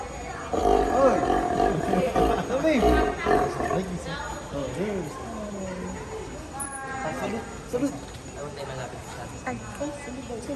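Several sea lions exchange harsh, throaty barks and roaring grunts, overlapping and rising and falling in pitch.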